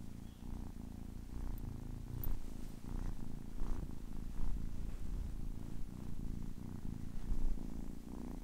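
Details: Purring from a kitten of ten weeks, a continuous deep vibrating hum that swells and eases with each breath about once a second, with a few soft faint clicks.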